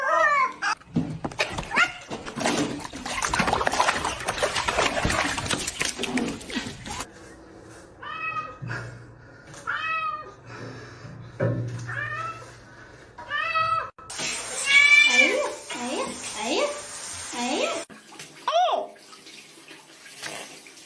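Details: Pet cat protesting during bath time: splashing, running water at first, then a series of short, insistent meows, followed by louder strained yowls over a rush of water.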